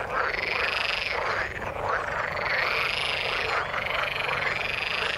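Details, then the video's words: Many frogs in the water form a steady wall of croaking, the overlapping calls pulsing continuously, with brief rising whistle-like notes standing out near the top. "Frog sound in the water"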